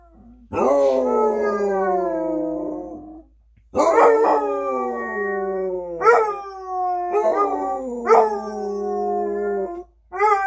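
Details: Two Basset Hounds howl as they usually do, in long, mournful, slowly falling notes, their voices overlapping in turn.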